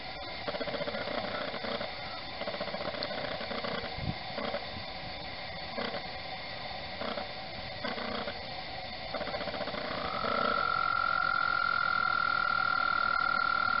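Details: At Mt Gretna in spring, frogs calling for mates on the water; after rhythmic low clicking and knocking, a long, level, high-pitched trill starts near the end and carries steadily to the finish.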